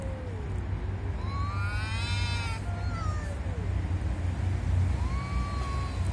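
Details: Cats angrily disputing territory give a few long, wailing yowls, one climbing and dropping early on and another rising near the end, over a constant deep background rumble.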